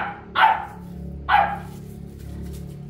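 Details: Boerboel, or South African Mastiff, from the pair Enzo and Diva living in Egypt, gives two deep, loud barks about a second apart over a steady low hum.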